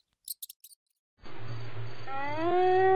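A hyena gives a drawn-out, rising moaning call over a low rumble, sliding steadily upward in pitch. A few brief clicks come just before it.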